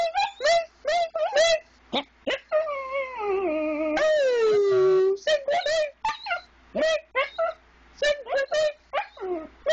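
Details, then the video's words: A pet dog singing along first thing in the morning while still dark: a long, drawn-out wail that slides down in pitch in the middle, surrounded by a person's short, repeated sung syllables indoors in a small room. "Singing Dog"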